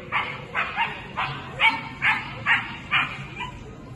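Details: Female Scottish Terrier at the Swiss Agility Championships 2022: a quick run of sharp, high barks repeated a little more than twice per second, fairly evenly spaced, over a low murmur of background noise.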